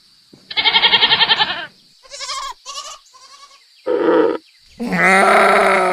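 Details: Goats bleating in turns: a long quavering bleat, then several shorter, higher bleats from different animals, and a final loud, lower, drawn-out cry; faint hiss in the background.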